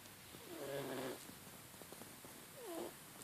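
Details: A cat asleep, giving a buzzy, layered snore on one breath, then a short rising wheezy sound near the end, with faint soft clicks between, in an otherwise quiet room.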